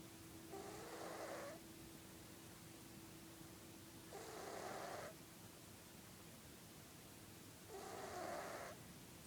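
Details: Sleeping domestic cat named Felix snores in slow rhythm, a rough breathy rasp roughly every three and a half seconds with a faint whistle inside each breath, while a constant electrical-sounding hum runs underneath.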